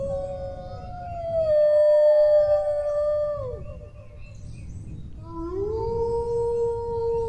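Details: Two long dog howls: the first holds steady then drops and fades, the second rises sharply and sustains a clear tone; low background rumble throughout.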